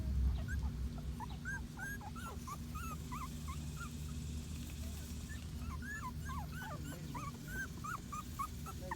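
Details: Patterdale Terrier puppies, a litter of six, make many rapid, high-pitched squeaky whimpers and yelps that overlap constantly over a low background hum.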